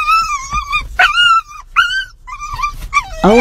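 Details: A dog from a compilation of funny dog and Chihuahua scenes, excited when it sees its owner's partner, gives a run of high, wavering whines and yelps, each stretched and bending up and down, in quick succession.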